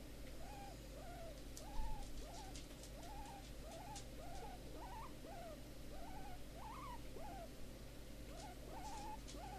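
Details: Big Momma, a hefty female guinea pig rehomed after being left uncared for in a garden shed, squeaks happily when given a little rub: soft, arched squeaks repeated roughly twice per second over a steady low hum.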